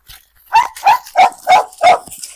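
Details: Female pit bull terrier, brought out of her kennel on a leash as part of a dog challenge, barking: five loud, evenly spaced barks, roughly three per second, in a quiet setting.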